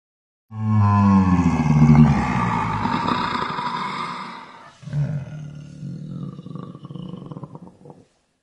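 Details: A napping tiger at Łódź zoo gives a deep, rumbling roar that trails off into a quieter, rough groaning.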